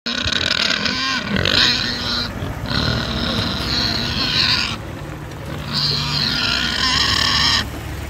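A wild boar gives harsh, drawn-out squeals in three long bursts separated by brief pauses.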